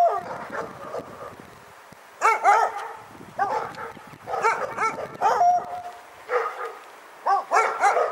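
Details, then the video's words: Dog barking repeatedly in clusters of quick, sharp barks about every second or so, with short pauses between clusters and faint background noise. "Pyrga Barking Nightmare 18"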